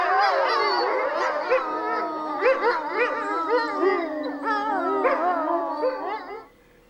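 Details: Grey wolf pack chorus, black wolf among them, with several long sustained howls beneath quick bouncing yips and barking wavers, overlapping voices rising and falling before stopping abruptly near the end.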